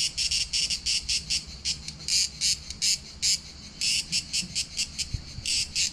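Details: Cicadas in July summer heat at Palaiokastritsa on Corfu Island, Greece, buzz in loud, harsh bursts, pulsing on and off about twice a second.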